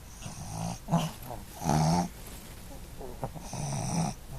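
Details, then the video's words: Sophie, a Boston Terrier, asleep, giving rough low snores, one short burst near the start and a longer rasping one in the middle, with a softer snore at the end. "Sophie the Boston Terrier Doesn't Snore!!....or Does She?"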